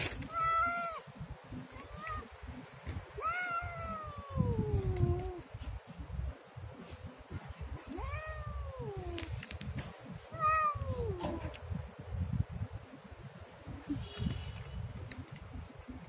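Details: Siamese cat giving a string of wavering meows, several rising then sliding down in a long arc, spaced a few seconds apart, over a steady low rumble, with quieter stretches toward the end.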